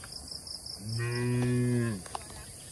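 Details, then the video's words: Tame cattle grazing on grass among oil palms on a plantation in Indonesia; a single steady, deep, droning moo lasting about a second, with faint rhythmic insect chirping high above throughout. "Bunyi suara sapi lembu"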